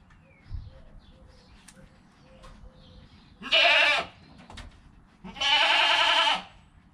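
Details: Goat kid Joel in his first hour of life, mother Penny nearby, captured by GoPro: two loud, quavering bleats about two seconds apart, the second longer, over quiet shuffling and faint thuds.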